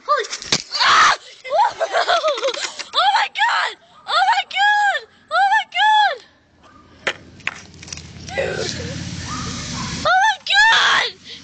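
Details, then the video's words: Two cats jumped into a gutter and made weird noises: a series of loud arched, wavering yowls in short bursts, with pauses between, then a stretch of rustling and scraping before more wailing cries. "Cats making weird noises"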